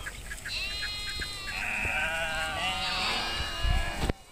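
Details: Herd of sheep grazing in nature during nomadic herding in Kashmir; overlapping harmonic, wavering bleats held for over a second each, several animals calling at once, with steady low rumble and a sharp knock near the end.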